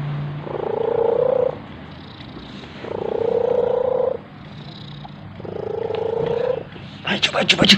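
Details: Orange domestic cat purring, a habit it shows while eating, sleeping and playing: three rumbling, throbbing purr bouts of roughly a second each, separated by short pauses, with a burst of human voice and handling noise at the end.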